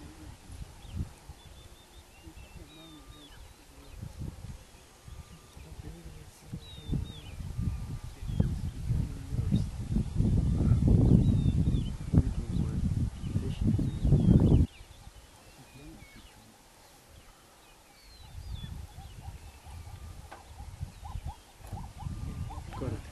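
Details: Cape buffalo mother defending her newborn calf from a determined pack of spotted hyenas in Lemala Conservancy, Kenya, the calf bellowing when bitten; deep, rough low bellows and grunts swell to a loud burst midway, then fade to quieter rumbling, faint bird chirps above.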